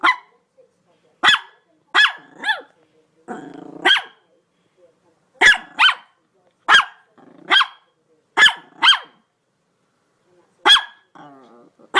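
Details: A dog barks in sharp, loud bursts, singly and in quick pairs, with brief pauses between.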